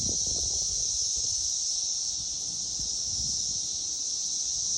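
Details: Cicada chorus from 2021, a continuous high-pitched electric buzz that stays level in pitch and loudness throughout, over faint low background rumble.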